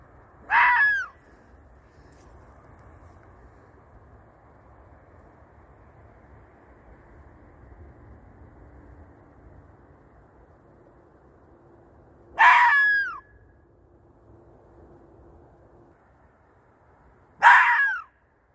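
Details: A fox gives three harsh, hoarse screaming howls, widely spaced, in the middle of the night; it seems to be calling for a mate.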